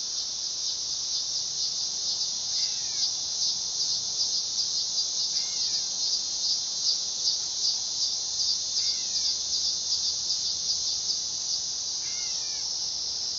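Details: Continuous high, shrill buzz of a dog-day cicada, pulsing with a rapid rough throb, while four brief soft bird chirps drop in at intervals of about three seconds.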